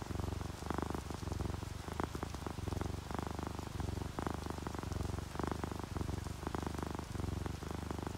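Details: Contented purring from a resting domestic cat, orange tabby and calico napping together during rain; a low vibrating rumble rises and falls with each breath in uneven bursts, backed by soft steady rainfall.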